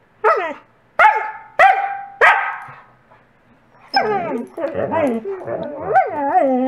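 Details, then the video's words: Covi the coastal wolf barks to demand a toy from Peaches the Wolamute: four sharp, loud barks about half a second apart, then a run of wavering, pitch-bending whining and yodel-like vocalizing. "Coastal wolf barks."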